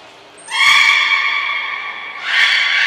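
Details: Belugas in a training session with the whole group taking part at Nagoya Port Aquarium, 2 April 2023. A thin, steady high tone comes first, then a loud, bright, harmonic buzzy call that holds for over two seconds and swells again near the end.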